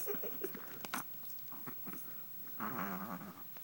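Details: Pet Chihuahua Drama, a female, guarding her place in the bed beneath the sheets against a hand she takes for another dog. Soft rustling and faint sounds give way to a sustained low rumbling growl over the final second.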